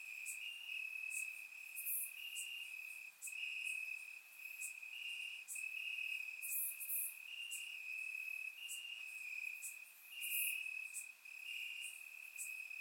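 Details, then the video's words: Warm summer night in Bulgaria with crickets in the grass: continuous high trilling broken into pulsing segments about every second, plus occasional very high clicks above, captured by a surround microphone. "Cricket Sounds - Crickets Chirping at Night"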